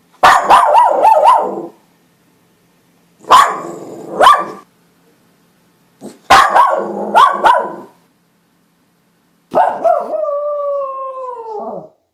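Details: West Highland White Terrier barking in short clustered volleys of yappy barks with pauses between, ending in a drawn-out, wavering tonal howl that slides slightly downward.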